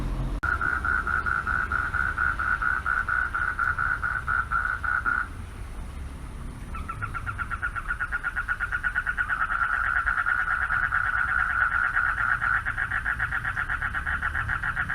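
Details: Night chorus of male frogs at a pond calling out for mates, a fast pulsing trill that runs steadily, drops away briefly, then resumes stronger and rougher, with low traffic-like rumble underneath.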